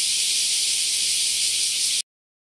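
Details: Large brown cicada (aburazemi) filmed in Japan on 14 July 2022 at 09:39, no background music; a steady, dense sizzling hiss like frying oil holds without pause for two seconds, then stops abruptly into silence.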